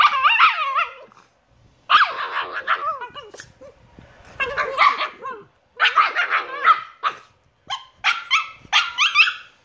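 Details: Shiba Inu puppies Niro and Kyno at 118 days old, yapping in clustered bursts of sharp high barks and yips, with brief pauses between volleys and a few squeaky whines.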